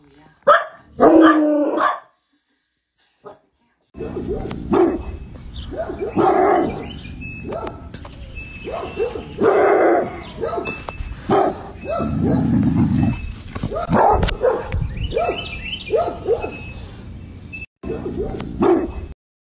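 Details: Bloodhound, a scent-hunting hound breed also called St. Hubert Hound, giving deep, musical barks in loud bursts of several seconds, some drawn out into howl-like tones, separated by short pauses.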